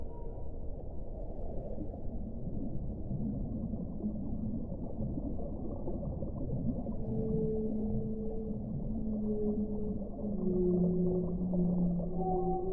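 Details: Whale song over a constant deep rumble. After a murky start, long sustained tonal moans slide in the second half, layered at two or three pitches, with steady, hollow tones near the end.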